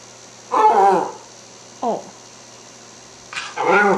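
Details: A hungry Cairn Terrier smelling lamb chops before dinner gives three bursts of warbling, yodel-like moans, each wavering and sliding in pitch, as if 'talking' about mealtime; a faint electrical hum runs underneath.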